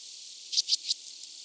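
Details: Red band-winged grasshopper from Mörnsheim, Germany, 14 July 2023, producing three quick, rasping high ticks in under half a second over a steady faint hiss.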